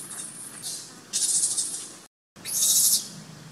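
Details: Abandoned baby monkey Sovana, screaming in her troop for her carer to take her back: two long, harsh, noisy shrieks, each nearly a second, split by a short silent gap.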